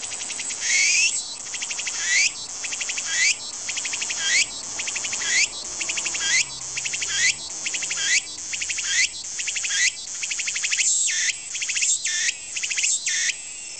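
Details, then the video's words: Japanese tsukutsukuboshi cicada calling: loud, shrill buzzing phrases, each opening with a rising sweep, repeated about once a second with brief dips between, steady and dense throughout. "ツクツクボウシ -- japanese cicada "Tsuku tsuku boushi""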